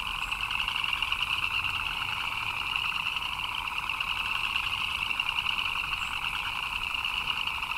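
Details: Chirping frogs during rain create a constant, evenly loud chorus, rapidly pulsed and shrill on top with a lower humming band beneath, no gaps throughout.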